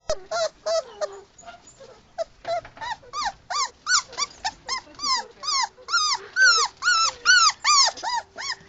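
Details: Little puppy, one of five, crying because it has not adapted to a new sleeping place; high arched whimpering cries repeated about twice a second, growing louder and longer toward the end, over a faint steady hum.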